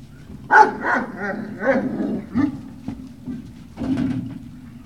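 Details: Great Dane puppies at Puppy Hill on 18 November 2018, early afternoon, giving a run of short, high yelping barks and whimpers in several bursts, with brief quiet gaps between them.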